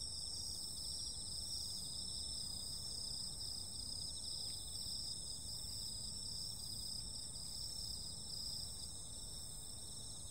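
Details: Insects calling on a summer night: a steady, layered high-pitched chorus of continuous trills, with several pulsing bands sounding together without pause, over a low background rumble.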